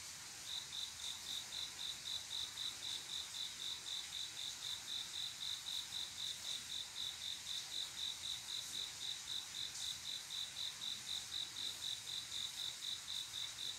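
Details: Male cricket singing at night in quiet summer to attract a female for mating; after a brief silent start, high, even chirps pulse about four times per second, steady and regular, with soft background hiss.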